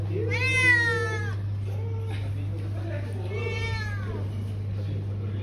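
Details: Street cat in Malaysia giving two drawn-out meows, each a falling harmonic cry lasting about a second, separated by a short softer mew; steady low hum underneath throughout.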